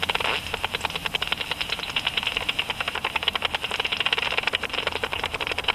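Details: Japanese pipistrelle (Pipistrellus abramus) flying about at dusk, its ultrasound made audible through a bat detector: a rapid, slightly irregular train of dry clicking pulses over a steady background hiss.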